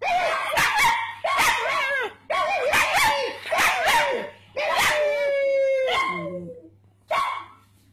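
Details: Puggly, a pet pug, answers people barking with a rapid run of short yelping barks, then a long, steady, drawn-out whining howl, followed by one final yelp.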